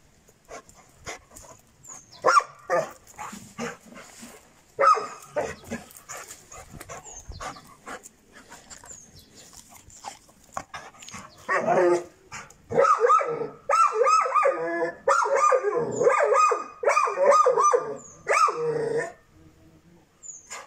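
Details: Šarplaninac puppy, six months old, giving bursts of harsh mid-pitched barks, sparse at first and then dense and rapid in the second half, with short pauses between runs.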